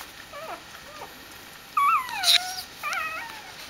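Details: Dobermann puppies greeting their mother Jessica as she returns from a walk: thin, high whining whimpers with wavering, gliding tones, a few separate cries rising and falling over a quiet background.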